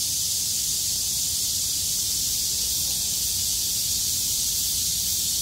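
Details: Chorus of cicadas that survived a downpour, singing loudly once the rain ended and the weather cleared, 6 August 2020; an unbroken, even, shrill buzzing wash high up, with a weak low background murmur.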